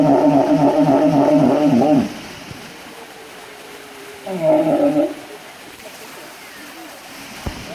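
A walrus gives a loud, rough, pulsing bellow, then a shorter growl after a pause.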